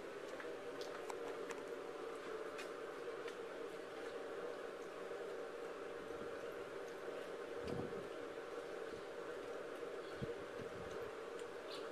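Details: A steady mechanical hum like a fan or engine fills the room, with faint clicks and rustles. No animal voice can be picked out.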